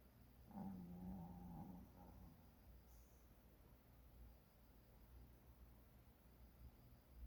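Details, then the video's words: A puppy asleep and snoring, one low, rasping, buzzy snore lasting over a second near the start, then quiet breathing noise for the rest. "snoring puppy 코고는 ~~ 코골이~~"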